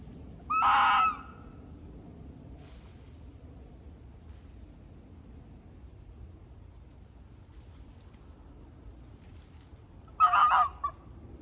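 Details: A wild fox circling a person servicing a trail camera gives two harsh, hoarse barks about ten seconds apart, coming close, over a steady high electronic whine.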